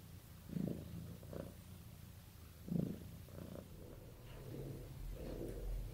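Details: Cat purring as a sign of being bonded with its owner. A soft low rumble swells and fades in uneven pulses, a few louder bursts near the start and middle, over quiet room noise.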